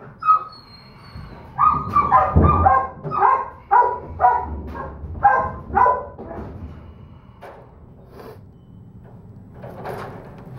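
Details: Small female Doberman Pinscher puppy, a holdback pick, lets out a rapid run of high yaps for several seconds, then the barking fades to faint, scattered yips over low room noise.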